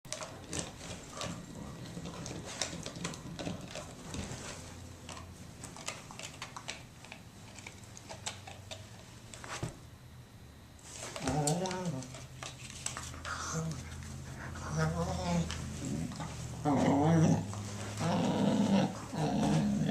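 A dog makes odd groaning, whining vocalizations after a stretch of rapid clicking taps.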